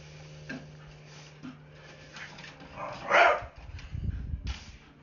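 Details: Jinx, a blue Staffordshire Bull Terrier pet, scared of a broom and telling it off: soft low grunts and snuffles, then a single loud, sharp bark near the end, followed by rumbling low growl-like noise, with a steady hum behind.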